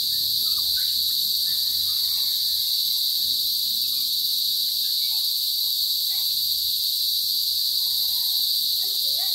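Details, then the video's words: Many loud crickets (kuliglig) nearby, a continuous piercing high trill holding steady the whole time, with faint scattered lower chirps and distant sounds beneath. "Ang ingay ng kuliglig. Parang may kuliglig dito banda. Ayun,"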